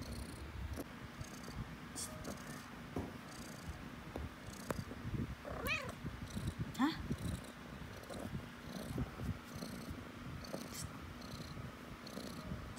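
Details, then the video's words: House cat purring as its owner chats with it: a low, pulsing purr runs underneath, interrupted by a sharp arched meow partway through and a brief squeak soon after, with light tapping and handling noises. "Cats Purring"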